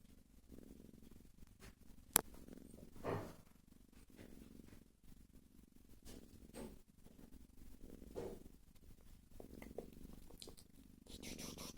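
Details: Sleeping cat snoring softly indoors, with low rhythmic rumbling breaths in a quiet room, a few faint rustles and clicks between breaths, and a brief sharp tap near the start.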